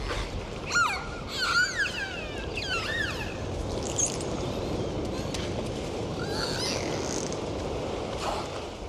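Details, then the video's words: Dolphins in the ocean trade quick whistles, wavering and looping up and down in the first few seconds, then fainter calls amid constant hissing water noise. "Sound of Dolphins"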